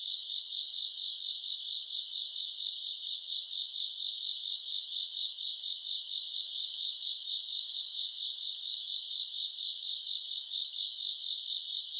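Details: Summer-night grass insects recorded in August: a thick, steady, high-pitched trilling chorus with a regular rapid pulse running the whole length, calm and uninterrupted.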